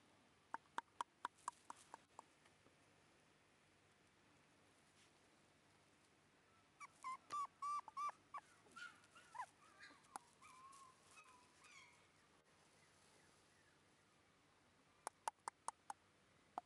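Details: A red female Shiba Inu puppy, born December 1, 2011 and filmed January 9, 2012, gives a short burst of soft whimpers and squeaky yips in a quiet room, framed by sharp clicking taps before and after.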